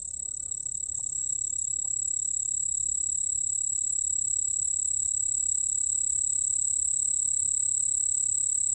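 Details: White-whiskered bell cricket singing a continuous, steady, high-pitched ringing trill with a fainter lower tone beneath it, unbroken for the whole stretch, over a soft low background hum.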